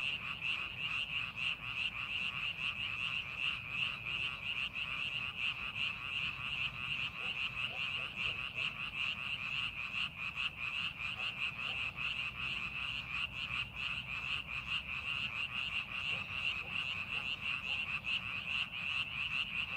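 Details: Rice-paddy frogs call together as the field is prepared for planting. Constant high-pitched croaking forms an unbroken wall of sound, loosely pulsing and steady in loudness across the whole stretch.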